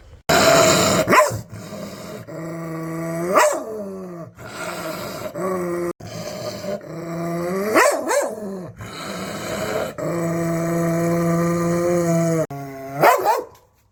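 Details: Angry dog snarling with long, low growls, broken repeatedly by short, explosive barks and snaps spread through the recording.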